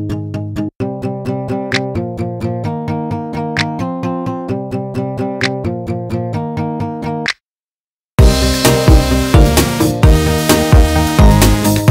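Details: Electronic music with a steady drum-machine beat and layered keyboard chords plays throughout, broken by a brief silence. No animal voice can be picked out.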